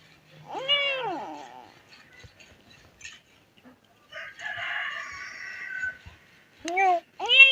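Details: Stray kittens meowing loudly and crying in distress, calling for their dead mother: one long, loud arching meow, then a rough drawn-out growling cry, then two short, sharp rising meows close together at the end.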